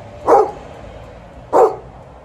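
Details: Alaskan Malamute and Golden Retriever vocally warming up before a walk; two short loud barks about 1.3 seconds apart, with a person calling in Slovene between them.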